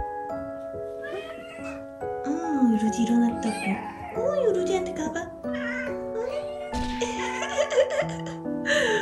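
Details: In the morning, a domestic cat gives drawn-out, rising and falling meows, demanding a treat, over steady background music.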